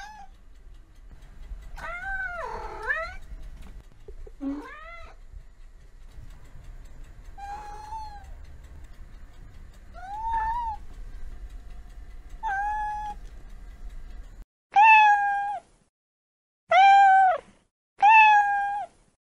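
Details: Domestic cat from a set of American cats and kittens meowing, giving about nine varied meows, some wavering and some falling, with a low background rumble early on and three loud, clean meows near the end.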